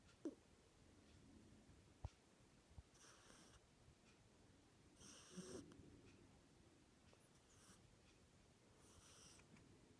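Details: Simon, a pet cat, snoring indoors in a quiet room: soft, airy, wheezy breaths come roughly every two seconds, with a faint low rumble between them and a few small clicks.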